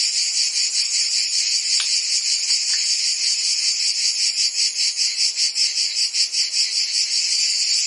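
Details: Crickets and other insects in a dense, high-pitched chirring chorus that pulses steadily about two and a half times per second, with a few faint clicks early on and no other sounds.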